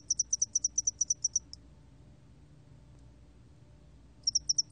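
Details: Spotted-wing hairy cricket singing: a train of about a dozen clean, high-pitched pulses at roughly eight per second, a pause of nearly three seconds, then the pulse train resumes; faint low background hum.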